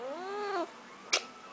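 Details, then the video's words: Talking house cat utters a clear, rising-then-falling meow of about half a second, followed after a pause by a sharp click or tap indoors. "Talking Cat"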